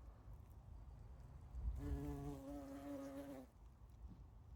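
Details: Bumblebee at spring flowers; one close steady buzz lasting about two seconds, a low even drone with clear overtones, starting and stopping abruptly over faint background noise.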